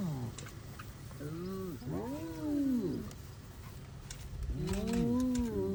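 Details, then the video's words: Kruger safari hyena giving deep swooping howls, three arched whoops that climb and then slide down, the last one longer and louder, over a low background rumble. "The beautiful sound of the Hyenas Howl"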